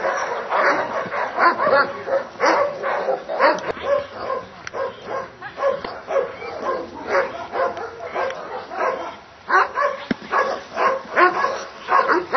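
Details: Dobermann during Schutzhund protection training and a Hungarian breeding test, barking hard and steadily, about two sharp, rough barks a second in a long insistent run with brief pauses.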